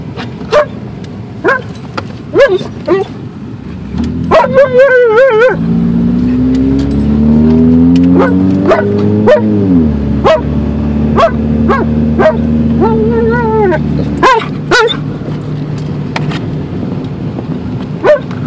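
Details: Alaskan Malamute in a car on a drive to the dog park, giving short sharp barks repeated about twice a second, then a long wavering harmonic howl around 5 to 10 seconds, more barks and a yodel-like call over steady engine hum.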